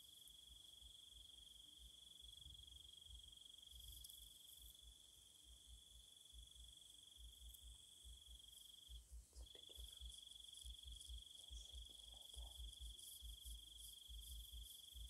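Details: Insects singing at night in Thailand: a steady, unbroken high trill with a fainter shimmering layer above it, briefly dipping near the middle. Low thudding knocks and rustles sound throughout.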